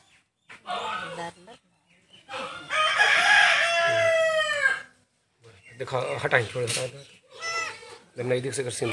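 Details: Goat kid, newborn and being rescued on a farm, gives a strong drawn-out quavering bleat that sinks slightly at its end, with a man talking in Hindi before and after it.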